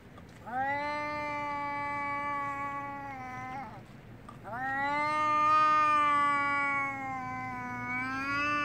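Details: Angry domestic cat yowling before a fight: two long, drawn-out wailing cries with rich harmonics, each held steady for about three to four seconds, the second rising slightly in strength before trailing off.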